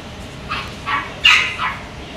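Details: German Shepherd Dog at a pet shop in Kobe, Japan, giving four short, high-pitched yelping barks spread over about two seconds, the third sharpest and loudest, against a low room hum.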